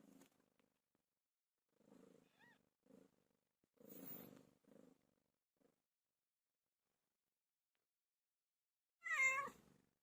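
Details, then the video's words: Pet cat PILO giving birth: soft, low rumbling bursts and a faint short mew early on, then after a long quiet stretch one loud, sharp meow near the end. "My favorite cat "PILO" gave birth"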